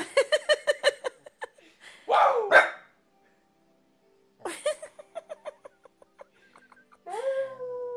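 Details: Corgi dog shown as funny and confused: a fast run of sharp, evenly spaced barks, then a harsher drawn-out yap, more scattered barks and a final rising then falling whine.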